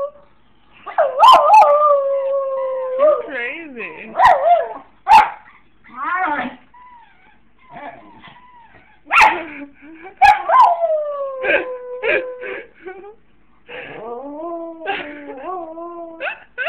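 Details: A female Jack Russell Terrier "sings", howling in long, wavering tones that slide downward, broken by sharp yips and clicks, when her toy is played and she isn't allowed to have it.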